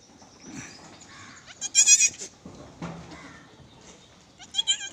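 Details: A goat at a farm in Gulbarga, Karnataka, gives a loud, quavering, high-pitched bleat near the middle, with softer bleats before it and a second sharp bleat at the end, over faint background hiss.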